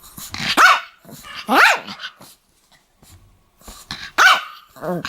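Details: Pomeranian dog barking, said to be attacking people: sharp, high yapping barks at irregular intervals, about three main barks mixed with shorter whiny, rising-falling yelps, with brief pauses between bursts.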